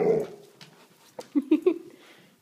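An Alaskan Malamute gives a string of short, throaty, talking-like yowls indoors.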